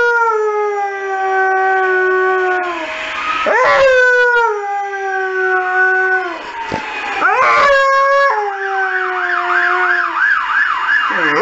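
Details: Saluki howling in response to emergency services sirens: long, steady, slightly falling howls rich in overtones, several in a row with brief breaks, then a wavering, rapidly warbling siren joins near the end.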